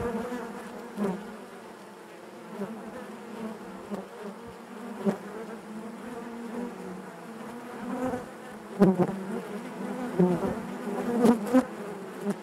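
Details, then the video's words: Continuous buzz of many honey bees within a hive: a low, even droning hum layered with harmonics, punctuated by short louder surges as single bees move near, especially toward the end. "bees therapy hive natural buzzing sound"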